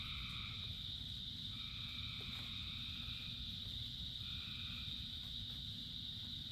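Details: Many frogs singing during rain: drawn-out paired-tone calls recur roughly every one to two seconds above a continuous high-pitched chorus drone, while heavy rain fills the low range.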